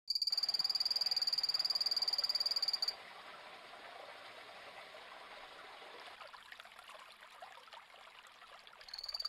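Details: Phantasmal poison frog, Epipedobates anthonyi, giving a high, even trill of rapid pulses for about three seconds, then a soft hiss of background noise before the trill starts again at the very end.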